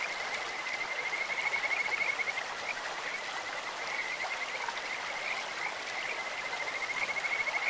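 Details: Rapid high-pitched pulsed trills from Kajika frogs in a stream run almost without pause, backed by the constant hiss of flowing water.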